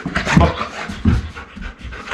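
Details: A young male golden retriever, born April 2019, gives two short, low huffing breaths about a second apart while performing a trained backing-up trick, during which he usually gives a loud bark.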